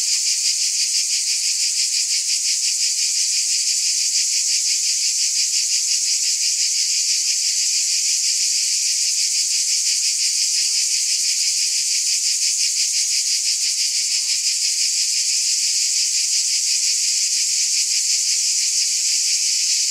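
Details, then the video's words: Cicada chorus holding one even, shrill, hissing drone for the whole stretch, lightly pulsing at a quick regular beat, with no birds, voices or other noise. "Scintillating Cicadas"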